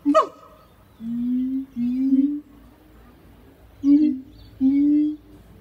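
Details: Siamangs Harry and Mila at Zoo de La Fleche on a hot August morning: brief sharp bark, then several low, steady hooting notes held about half a second each, separated by short pauses.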